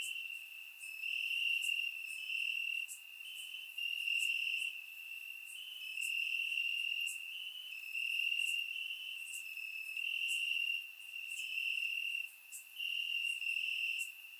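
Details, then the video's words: Many crickets chirp in grass on a warm summer night in Bulgaria, surround microphone recording; a dense high buzzing trill rises and falls in waves, punctuated by regular short clicking chirps from other callers. "Cricket Sounds - Crickets Chirping at Night"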